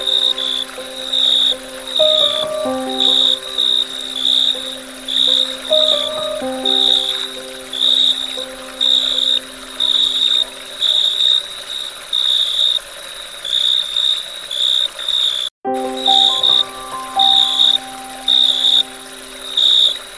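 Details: Crickets chirping at dusk: bright, high buzzy chirp bursts repeat about once a second in steady pulses, laid over slow sustained background music with gliding tones, and a brief gap of silence near the end.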